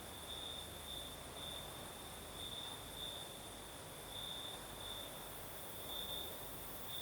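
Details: Night chorus of crickets in southern Crimea, an unbroken shrill trill at constant pitch that pulses louder roughly every second, over a steady airy rush of the nighttime breeze.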